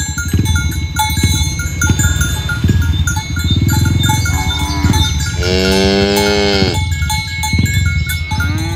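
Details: Morning herding of tame village cows toward the pen; a loud, sustained, tonal moo of about a second, followed by a shorter one, set against rhythmic hoofbeats, low rumbling and bright ringing bells.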